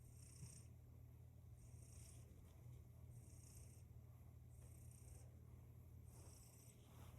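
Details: Cat purring steadily, a deep continuous low rumble overlaid by soft hissing breath sounds that return about every one and a half seconds; no other clear sounds.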